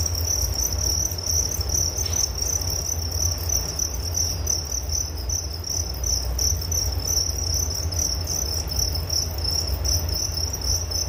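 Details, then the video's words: Cricket chorus for relaxation before sleep: a sustained piercing trill runs without pause, broken only by one brief soft click early on, while a low rumble continues underneath. "Relaksasi Suara Jangkrik Penghantar tidur || Nature Sound of Crickets"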